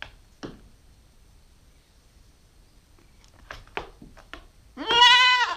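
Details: Nine-week-old Nubian goat kid, a growing female, gives one short arched bleat at the very end after scattered clicks, taps and rustling.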